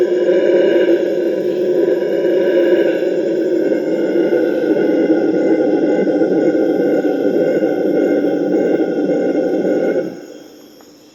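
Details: Morning chorus of Purus red howler monkeys, howls that keep rival groups from fighting: a loud, continuous, deep droning roar with pulsing texture lasts about ten seconds, then stops abruptly, leaving a thin insect hum.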